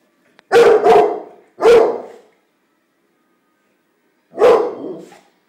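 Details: Pit Bull puppy barking while fighting with a bunch of flowers: three or four sharp, loud barks, two close together, then one, then a last bark after a pause, in a quiet room.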